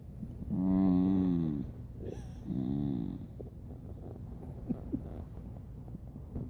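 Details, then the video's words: Jett, a dog sleeping on his back, snores and makes noises in his sleep: two drawn-out, low droning snores with a wavering pitch, then softer breathy rustles and small clicks. "Jett sleeping on his back (turn up the volume to hear him snoring)"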